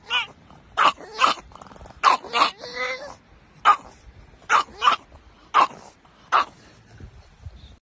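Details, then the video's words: Pug reacting to seeing bicycles with a series of short, sharp barks spaced roughly half a second to a second apart, a brief whiny yelp in the middle, quiet background otherwise. "Jonas the pug HATES bicycles!"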